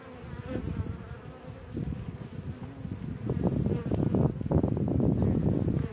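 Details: Honey bees at their hive entrance in the sun buzz in a dense, low drone, many wings humming together and swelling in loudness.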